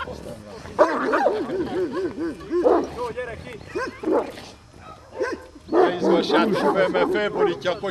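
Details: Komondor barking during a herding instinct test: bursts of quick, hoarse, repeated barks separated by short pauses, mixed with voices of people calling out in Hungarian.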